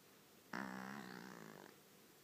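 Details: A cat snoring in a quiet room: a single raspy, buzzing snore with a steady low hum, lasting just over a second before it fades out.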